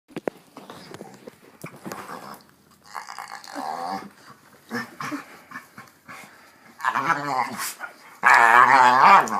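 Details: Pit Bull play-chomping indoors, giving weird groaning sounds: irregular low moaning growls and grumbles in bursts, with clicks of jaws and a loud, drawn-out groan near the end.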